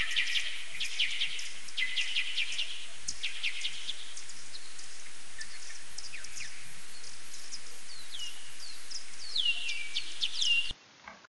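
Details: A maternity colony of common pipistrelles at the Chambord hunting reserve, France, in July 2019 gives a dense chatter of social calls: sharp, quick, overlapping chirps and downward-sweeping trills over a steady hiss that stops abruptly at the end.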